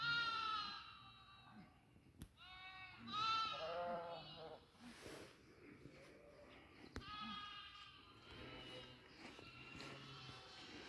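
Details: Several goat bleats on a goat farm, harsh and wavering, some overlapping in quick succession, broken by sharp clicks and a low background rumble.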